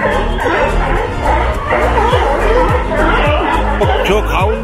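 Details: Sea lions at San Francisco's Pier 39, near the Golden Gate Bridge and Alcatraz, give hoarse, repeated barks likened to pig squeals, under steady human chatter. They jostle and push each other off their resting spot.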